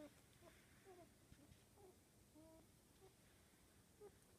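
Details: Nineteen-day-old Cockapoo and Pomeranian mix puppies, mother a black cockapoo and father a blue merle Pomeranian, indoors: soft, thin whimpering squeaks in short sliding notes, scattered through a quiet room hum.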